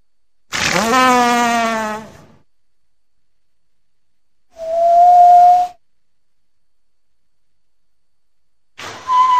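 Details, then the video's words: A big walrus gives a long, harmonic-rich whistle that dips and then holds steady, followed by a shorter, pure, level whistle. A third loud whistle begins at the end, with silent gaps between the calls. "big walrus sound صوت حيوان الفظ الضخم"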